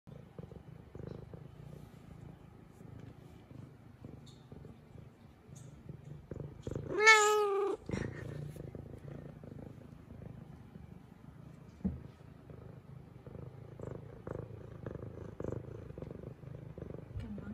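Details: An F2 Savannah cat, a female, purrs while playing with her new toy indoors. A steady low rumbling purr runs throughout, broken around the middle by one short, rising-falling meow. Faint rustling is also heard.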